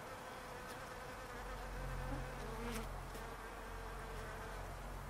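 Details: Bees buzzing in a palo verde tree in a backyard: a steady, dense hum with overlapping drones, a few louder buzzes passing close by, and a low constant background rumble.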